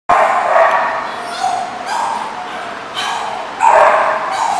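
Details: Dog barking on 25 August 2014, loud rough barks in short bursts roughly every second, each with strong mid-range harmonics, over a steady background hiss.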